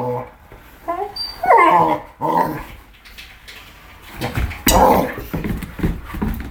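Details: Male Rhodesian Ridgeback puppy, four months old, indoors playing with his Christmas presents and attacking a toy hamburger: rough growls broken by high, bending whines and yelps, with thumps of play in a small room.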